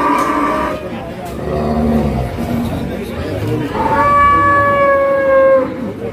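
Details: Cattle at the Wage cattle market in Pati, tired after a long truck journey and collapsing on arrival; voices and market chatter first, then one long, steady, harmonic moo lasting almost two seconds.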